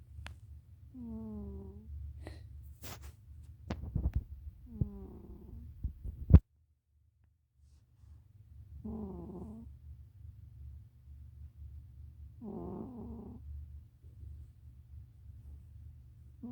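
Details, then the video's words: Cat snoring: low, rough, buzzy breaths about a second long, recurring roughly every three to four seconds, with a few sharp clicks and taps among the early breaths over a steady low hum. "고양이 코골이"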